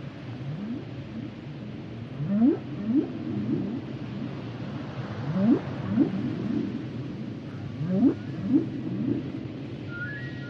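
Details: Humpback whale song underwater: a series of rising, swooping moans repeated roughly every half second in bursts, with a faint high whistled tone near the end over steady ocean hiss.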